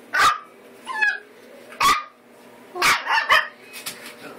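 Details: Eight-week-old American Eskimo Dog puppies, a litter of boys, giving sharp high yappy barks at irregular intervals, some with a short squeaky whine between, against a quiet indoor background.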